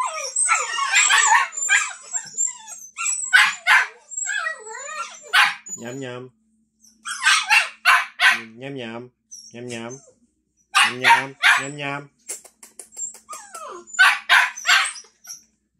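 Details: Samoyed puppies impatient for dinner keep up clusters of shrill yips and squealing whines in bursts, while a person's low voice speaks in between the outbursts.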